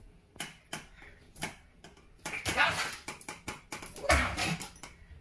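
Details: An angry small Maltese dog gives sharp, high-pitched barks in short irregular bursts.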